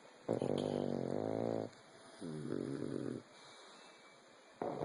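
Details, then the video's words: Low, buzzy snores from sleeping dogs, pugs and a bulldog, at rest indoors: two drawn-out rattling inhalations, the second shorter, then a quiet gap before another snore begins. "Cute Pugs Snoring! And a Bulldog!"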